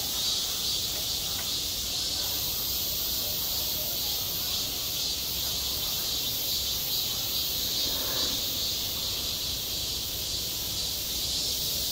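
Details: Cicadas calling in the heat of summer at a school playground: a thick, piercing buzz pulses slightly in loudness, and a brief soft muffled sound rises beneath it near the eighth second.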